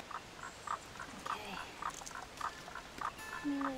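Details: A male Baw Baw frog sits right beside a pitfall bucket where a female was found, having called steadily all morning. Brief, mid-pitched pulsed notes repeat about every half second over soft outdoor background noise.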